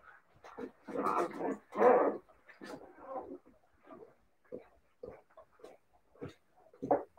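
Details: Siberian Husky puppies: a couple of harsh, drawn-out yowling barks at the start, then scattered short whimpers and yips spaced about half a second apart.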